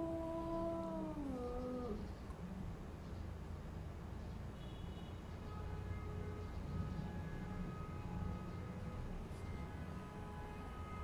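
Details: Domestic cat in a new house during a fight with another cat, giving a long drawn-out yowl in the first two seconds that slides downward, then faint lower tonal wailing over steady background hum.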